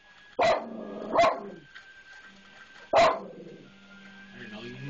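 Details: A dog that hates the maintenance man barks at him far more fiercely than usual: three loud, rough barks, the first two close together and the third after a pause of almost two seconds, with a person talking nearby.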